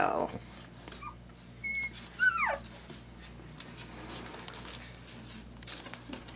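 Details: Two-week-old puppies piled together indoors, some with eyes just opened and starting to walk; a brief falling whimper squeal with a high whistly note, amid rustling, soft background noise and a woman talking.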